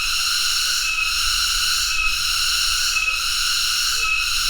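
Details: Tonggeret cicada droning without pause, an intense high buzzing tone pulsed by short dips near each second, with quiet low noise underneath.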